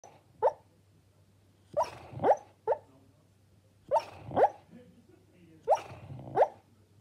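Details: A sleeping female Labrador puppy, dreaming, gives soft, muffled little barks, often in quick pairs, and growls in her sleep.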